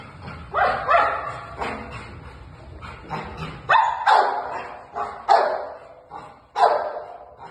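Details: Female German Shepherd puppies give high, yelping barks: about six sharp, bright bursts spaced roughly a second apart, some rising then falling, with low background rumble between them.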